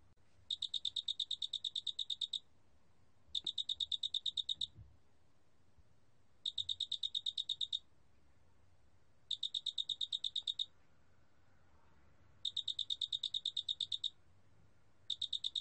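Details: A large spotted cricket sings in regular two-second bursts of quick, high, ringing pulses, repeated about every three seconds, standing out cleanly against a quiet background.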